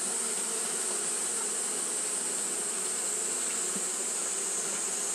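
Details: Japanese honey bees fanning at the hive on a hot day, a dense steady buzzing hum of many wings, continuous with no breaks, bright hiss high up and a low droning band underneath.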